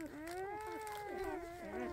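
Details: Newborn Dachshund puppy, one of seven whose eyes are not yet open, orphaned and hand-fed on its first day of artificial nursing; a continuous high, wavering whine with rich harmonics, dipping and rising over two seconds.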